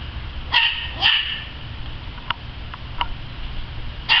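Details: Playful dog in the yard barks twice in quick succession, goes quiet apart from faint soft clicks, then gives one more sharp bark at the end.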